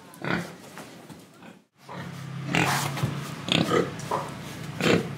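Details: Indonesian pig breathing and eating: a low grunt, a brief gap, then a steady rumbling snort run into quick, repeated harsh grunts and sniffs close up.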